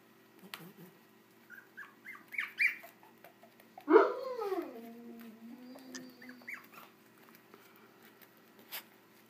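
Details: Puppies 24 days old, heard indoors: a few soft high squeaks, then one drawn-out whine that slides steeply down and fades into a low wavering moan, followed by faint scattered squeaks in a quiet room.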